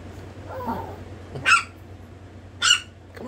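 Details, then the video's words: Chihuahua puppy letting out two short, sharp, high-pitched yaps about a second apart, with faint murmuring before them and a steady low hum underneath. "baby Chihuahua disturbing a monster"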